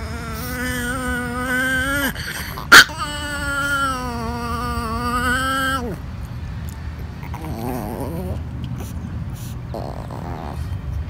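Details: Tiny female chihuahua refusing to share her treats: a long, steady, whining growl held for about six seconds with a brief break near two seconds and a sharp click, then fainter, wavering grumbles.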